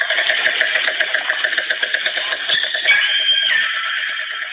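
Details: A pod of northern resident killer whales in British Columbia waters clicks in rapid echolocation trains and gives squealing, pulsed calls underwater as a large commercial vessel passes about 1 km away, masking the calls.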